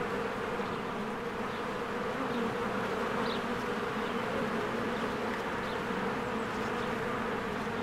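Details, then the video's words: Many bees flying at their beehive among spring blossoms give an unbroken, droning buzz, with occasional faint, high bird chirps. "1 Hour of a Beehive ASMR"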